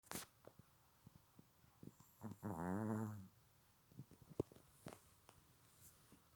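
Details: Sleeping Silky Terrier indoors gives one rattling, harmonic snore about half a second long in the middle, surrounded by soft clicks and small rustling noises in a quiet room.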